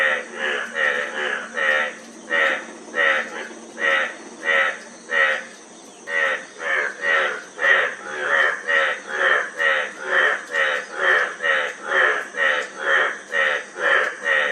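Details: Repeated frog croaks, each a short buzzy rattle, spaced about a second apart at first, then coming quicker and closer together, against a steady faint hiss.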